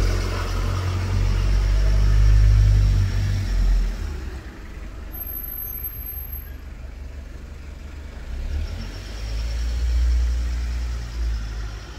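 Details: Loud road traffic outdoors, with engines rumbling and vehicles passing in waves, and no animal voice rising above the noise.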